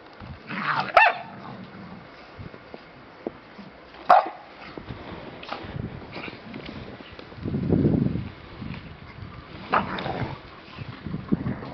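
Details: American Staffordshire Terrier with two sharp single barks about three seconds apart, followed by scattered soft clicks, a low rumbling growl near eight seconds, and another short yip toward the end.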